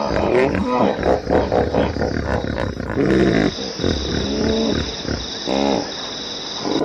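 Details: Hippopotamus howling: a run of deep, harmonic honking bursts in uneven pulses, with a brighter wheezy rising note near the end, over a steady low rumble.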